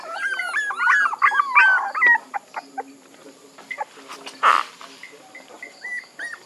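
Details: Puppies whining in a dense burst at the start, then only scattered short squeaks and faint whimpers, broken by a single sharp noisy thump.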